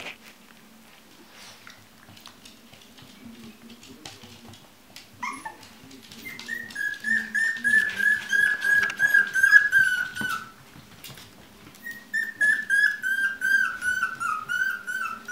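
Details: Chinese Crested puppies at a breeding kennel. High, thin whines slide gently downward and come in two drawn-out bouts, with softer whimpering and a faint low hum between them.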